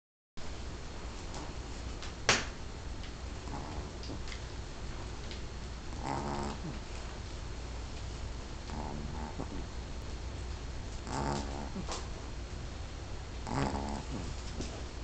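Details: Shih Tzu snoring while asleep in a person's lap: rough, buzzy breaths with stacked harmonic bands, returning in bursts every two to three seconds, with a sharp click early on over a steady low indoor hum.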